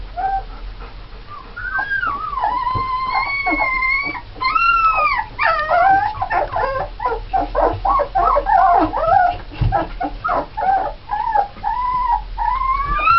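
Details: Nine red Alaskan Malamute puppies (7 females, 2 males) born 1 November 2010 whine and yip in high, wavering, overlapping cries.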